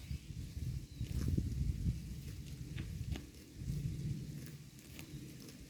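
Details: A herd of cows grazing on grass makes dense low munching and crunching, strongest in the first two seconds, then softer rhythmic chewing with occasional sharper clicks.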